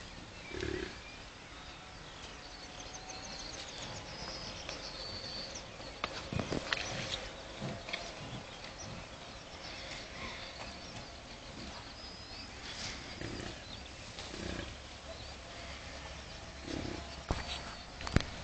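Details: American bison at a bison farm in Kurozwęki, Świętokrzyskie Voivodeship, Poland, met up close: low, rough grunting bursts repeat through the middle of the recording over steady outdoor background noise, with a few sharp clicks and knocks.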